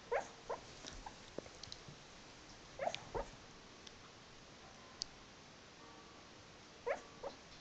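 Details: Sleeping dog vocalising while dreaming, another dog in the room: brief soft whines and muffled yips in three small groups spaced a few seconds apart, with faint clicks and rustles between.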